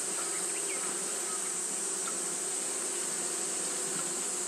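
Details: Japanese honey bees fanning continuously on a hot day, giving a steady, unbroken low hum with layered harmonic bands, under a constant high-pitched hiss.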